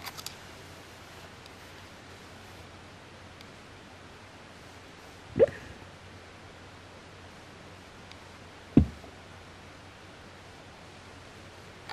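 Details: A quiet room hiss broken by two brief knocks, near five and a half and nine seconds; no breathing or snoring stands out.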